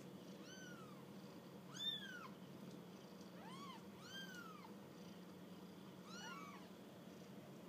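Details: During their first walk, kittens utter a run of high curved mews, several overlapping or in quick pairs, clear harmonics stacked above, over a continuous low hum.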